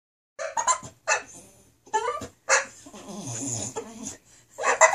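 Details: A female English Bulldog, upset that her owners are in the office rather than the living room with her, gives choppy, raspy barks, then a long, rumbling grumble, then more yelps.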